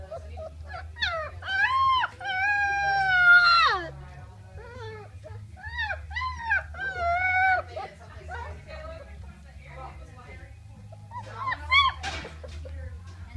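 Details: Puppies 3.5 weeks old, from a first litter, howling on Christmas Day 2014: bursts of high, wavering wails and yelps that fade to scattered squeaks, with people talking in the background.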